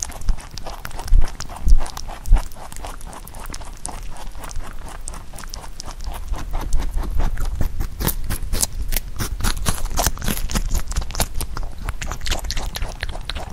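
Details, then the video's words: Pet rabbit eating Korean melon in close-up ASMR; a few heavy thumps in the first seconds, then fast, uneven crunchy chewing clicks, roughly 100 a minute, growing denser toward the end. "Rabbit eating sound with Korean Melon"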